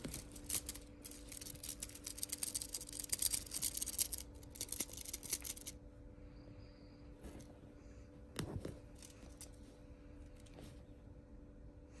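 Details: Crisp snipping and rustling noises fill the first half, over a low electrical hum, then quieter scattered taps and knocks follow, with no animal voice.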